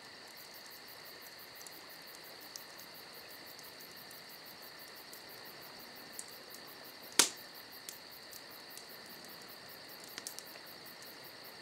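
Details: Crickets on a summer night, their steady high-pitched chirring holding a constant tone above a fainter pulsed shimmer, with one loud sharp crack from a crackling campfire midway and scattered smaller pops.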